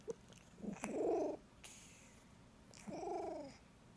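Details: Domestic cat making funny noises while licking: two drawn-out nasal meow-like calls, each about half a second, with a few short clicks and smacking sounds between them in a quiet room.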